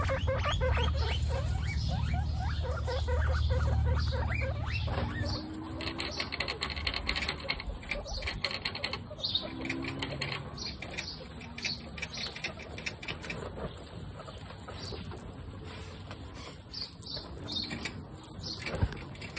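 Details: Baby guinea pigs Snow, Pistachio and Pumpkin at their first meeting, in a household of 29 guinea pigs; rapid pattering clicks and scuffling throughout, with soft low chut-like tones in the middle and a low rumble at the start.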